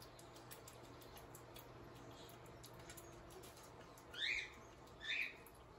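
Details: While Guinness the kinkajou eats his peanut butter sandwich breakfast, soft rustling and clicks give way to two sharp, high squeaks close together, roughly one second apart.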